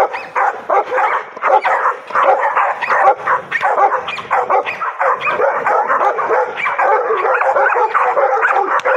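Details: Excited barking from a pocket American Bully meeting a bite sleeve in play training: dense, ragged volleys of short harsh barks, about eighty a minute, with yelping edges and little pause, and human voices underneath.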